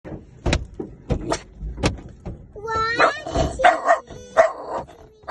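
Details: Puppy giving a few short, sharp barks spaced about half a second apart, then a run of higher, drawn-out tonal whines and yelps that overlap and grow busier toward the end.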